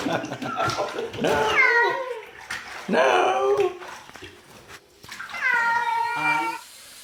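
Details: Domestic cat making weird noises: several drawn-out, wavering meows with rich harmonics, rising then falling, separated by short pauses, with faint background speech and clatter.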